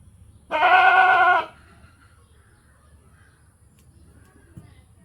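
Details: One wavering, harmonic goat bleat lasting about a second, followed by several seconds of quiet background with faint low noise.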